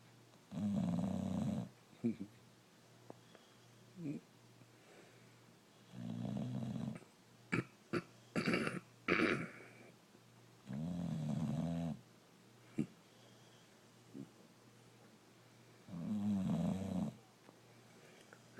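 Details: Brindle Boxer dog Rocco snoring in his sleep, a run of five low, rattling breaths every few seconds, interrupted midway by a cluster of clicks and brief rustling.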